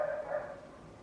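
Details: A single bark from a neighbour's loud dog, a harmonic bark that fades over about a second against a quiet background.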